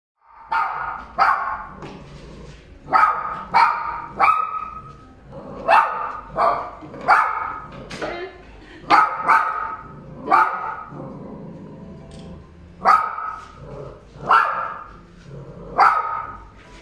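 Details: Red toy poodle barking while being brushed at a pet grooming salon in Nagoya, Japan: short, mid-pitched yapping barks in bursts of one to three, repeated about every second, with brief quiet gaps.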